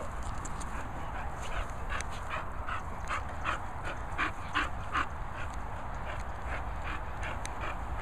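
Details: English Bull Terrier, excited and feeling fresh, gives a quick run of short, high whimpering yelps, about two or three each second with uneven spacing, over a steady low background rumble.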